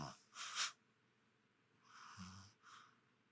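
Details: Chihuahua named Duo napping with half-open eyes in rural Kagoshima: a loud breathy wheezing snore, then a softer raspy snore with a low rumbling undertone, and a short fainter breath to finish.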